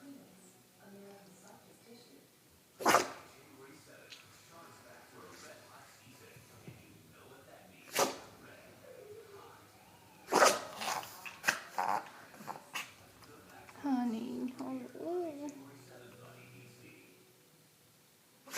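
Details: A pet dog with allergies, its allergy pills not working, sneezing indoors: sharp, explosive bursts near three, eight and ten seconds, then a cluster of smaller snorts, with a woman talking softly in between.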